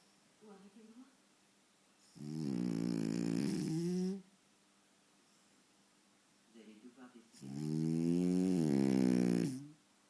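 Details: Two long, harsh snores about two seconds each from Faro the French Bulldog, sleeping soundly in front of the TV; short sniffs come before each snore, with quiet between.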